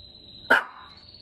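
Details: Maltese dog that wants to play gives one short, sharp bark lasting a fraction of a second, over a steady high-pitched electronic whine and quiet room background.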